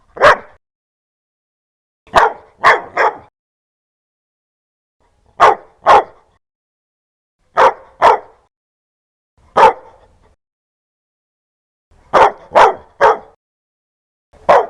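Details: Loud, aggressive dog barking in crisp short woofs, mostly doubled or tripled, repeated every two seconds or so over a quiet background.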